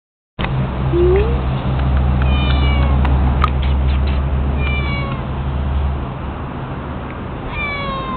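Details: Outdoor white cat in Beijing, described as shy and female, giving several short rising and falling meows, with a steady low engine-like hum throughout.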